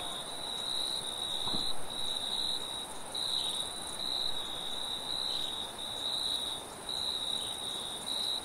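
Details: Forest crickets at night with a high pulsing trill in irregular bursts, a faint upper whine, gentle wind noise beneath and one brief low thump.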